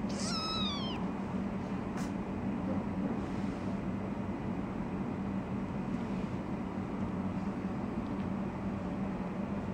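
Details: Three-week-old tortoiseshell foster kitten, wiggling and play fighting with her sister, gives a single high meow that rises and then falls, bright with stacked overtones, followed by quiet rustling over a steady background hiss.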